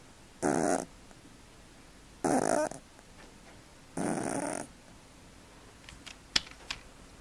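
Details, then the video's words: Sleeping cat snoring indoors, three broad noisy breaths spaced about two seconds apart, followed by a few faint clicks and soft rustling. "50 shades of snoring Cats"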